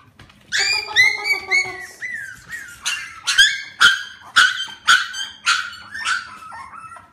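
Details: Four-week-old Klee Kai / Shiba Inu mixed puppies vocalizing indoors: high, harmonic whines and short squeaky yelps, several overlapping at first, then separate yelps roughly every half second with a faint low hum beneath.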